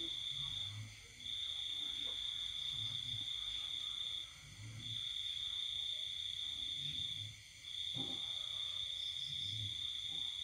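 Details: Cricket calling at night in the countryside during the pandemic season: a steady, high, pure trill held continuously, broken by short pauses about every three seconds, with faint low thumps underneath.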